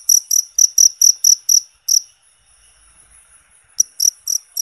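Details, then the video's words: Natural cricket sound for bird therapy: a quick run of high, piercing chirps stops after about two seconds. Near-silence follows, and the chirping starts again shortly before the end. "Suara Jangkrik Alami Buat Terapi Burung"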